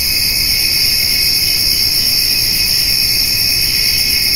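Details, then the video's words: On a summer eve, cricket and grasshopper sounds surround a white-tailed doe and fawn feeding on hay: continuous high-pitched ringing in layered bands, constant in loudness and without breaks, over a soft low background hum. "Summer Evening with Cricket and Grasshopper Sounds"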